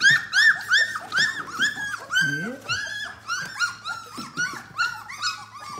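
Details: Eighteen-day-old yellow Labrador Retriever puppies crying in a small room: rapid string of short, arching whimpers and yelps, roughly three a second, with a low grunting growl midway and faint human speech.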